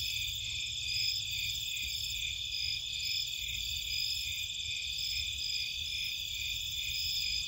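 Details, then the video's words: Nighttime crickets and other insects in Cape Cod marshland, a dense, unbroken chorus of high, shrill trilling layered in several steady bands, with a faint low rumble underneath. "Nighttime Cricket Sounds"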